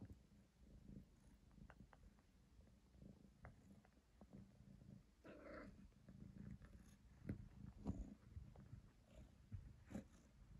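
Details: Domestic cat purring while playing with a hair tie indoors; a soft, steady low rumble continues throughout, broken by scattered clicks and rustling from the play.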